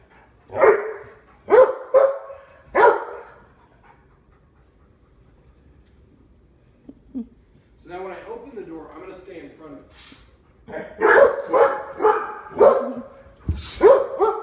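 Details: Labrador Retrievers at home in Omaha, door behaviour before training; a few sharp barks, then a quiet pause, a person talking, and another run of loud barks at the end.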